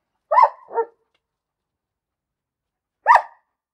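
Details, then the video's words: Barking dog giving a double bark, the second note lower and softer, then a pause of about two seconds before a single sharp bark. "Bellender Hund - Hunde bellen"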